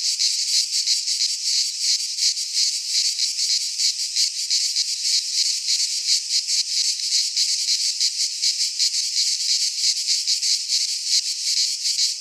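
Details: Midsummer chorus of cicadas in a pine forest in Greece, a steady shrill rasping drone that swells and fades in quick regular beats throughout, with nothing else audible.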